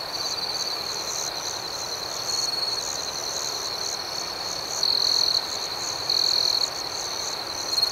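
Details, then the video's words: Nighttime cricket chorus, a continuous shrill trill layered with rapid higher pulses. Three brief louder chirp bursts come in the second half over an even background hum of insects. "Soothing Cricket Sounds"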